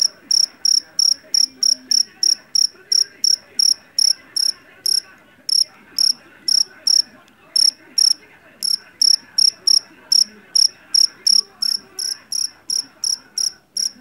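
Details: Loud-voiced Javanese cricket (jeliteng) caught in a rice field; clear metallic chirps in quick runs of about three per second, broken by brief pauses, with soft low background noise beneath.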